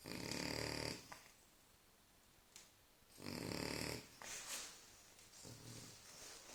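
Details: Sleeping French Bulldog snoring: rough, rasping snores about every two to three seconds, each lasting around a second, with a softer wheezy breath in between.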